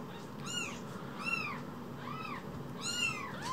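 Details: Two tiny rescued baby kittens, about the size of a mobile phone, mewing: high arched meows repeated irregularly, four calls in under four seconds, over a low steady background hum.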